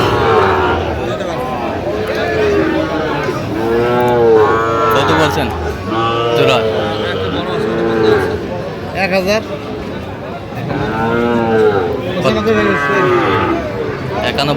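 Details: Sahiwal bull calves in Mymensingh, Bangladesh, 11 October 2025, being bought by a farmer: overlapping high, arched moos from several calves, rising then falling, repeated through the stretch, with human chatter and speech underneath.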